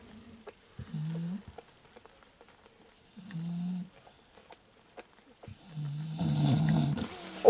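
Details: Fawn male Staffordshire Bull Terrier puppy, number 1 of the 34th litter at a breeding kennel, recorded 19 October 2018: three low, drawn-out grunting moans about two seconds apart, the last longer and louder with rustling.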